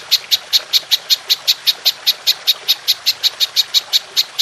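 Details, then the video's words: Golden grasshopper (belalang emas) recorded for training songbirds: sharp, high, clicking chirps repeated steadily about four times a second against a quiet background. "Belalang Emas Nembak Panjang"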